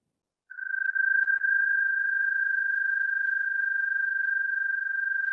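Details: American toad trill played back during a Cobb County amphibian workshop, described as having more vibration and rumble, not very smooth, compared with the Fowler's toad; one long, steady, high musical trill held on a single pitch for about five seconds.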